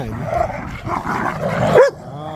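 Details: Dogs (pit bulls and a Malinois) playing tug of war with a squeaky toy in a yard; a rough, continuous low growl fills the clip, ending in a sharp squeak from the toy.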